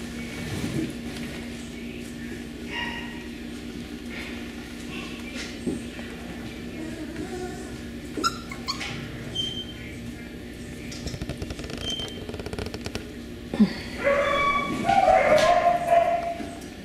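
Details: Beagle puppies from the Camo and Buddy litter, females listed, filmed 18 April 2020: scattered soft whimpers and brief high yips, building into a cluster of rising, wavering whines near the end, with a woman's quiet speech and steady low hum.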